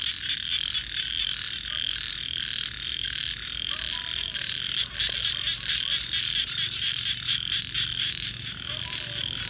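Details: Frogs at night call together in a thick, shimmering chorus of quick repeated high croaks, pulsing about every second in places, over a soft low background rumble.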